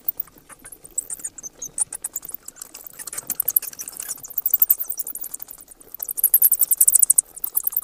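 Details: A steady stream of bat chatter, fine rapid clicks and high squeals that swell in intensity toward the end into a dense buzzing twitter.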